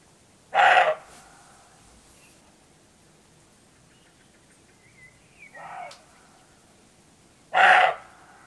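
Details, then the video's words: Roe deer bucks outbarking one another before night falls in the Rhodope Mountains, Bulgaria. Two loud, rough barks about seven seconds apart, with a fainter bark and a few soft bird notes in between. "Roe Deer Barking/Сръндак лае"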